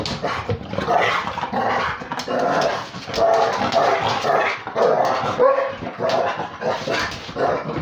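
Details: Two dogs at play, a Beagle mixed with Basset Hound and a pitbull. Loud, steady rough growls and yappy barks overlap throughout, with short higher whining yips breaking through now and then.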